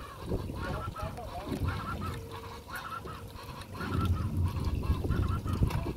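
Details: Giant otters (Pteronura brasiliensis) in the Pantanal give quick, nasal, honking calls in overlapping bursts over a low rumble of water and wind.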